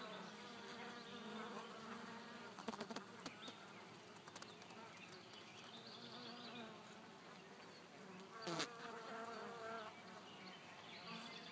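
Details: Bees buzzing calmly in June 2012, a steady low drone with stacked harmonic layers, brief clicks and taps near three and eight and a half seconds, and a soft broadband hiss behind.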